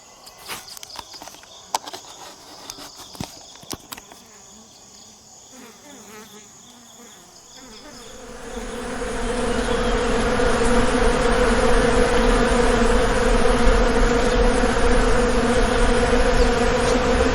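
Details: Indian honey bee colony at a bee farm; after about eight seconds of quiet with scattered clicks and knocks, a loud steady droning hum of many bees swells up and continues evenly to the end.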